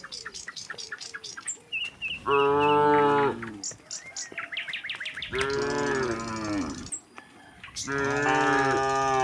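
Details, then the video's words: A herd of tame cattle heading out of the barn to open grassland; three sustained lowing moos calling back and forth, with short bird chirps and twitters between them. "puluhan sapi lembu jinak berjalan keluar kandang menuju padang rumput hijau, suara sapi moo"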